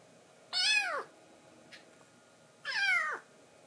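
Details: Momiji, a foster baby cat, makes a cute threat at Kuromame to hold a man's lap alone: two strained, drawn-out meows, bright and falling, with a short pause and a soft tap between them.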